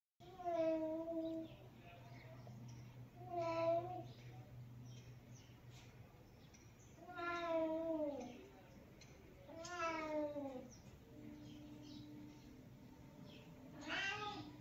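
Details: Cat sisters from a family of cats give a series of harmonic meows, some drawn out and others sliding downward, roughly five calls spread across the stretch, with a low steady hum underneath.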